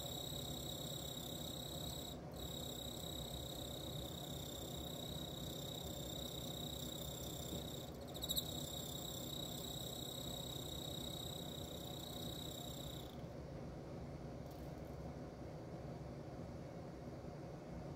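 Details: Emma field cricket mating: a steady high-pitched ringing trill runs without pause for about thirteen seconds, then stops, leaving only low background rumble.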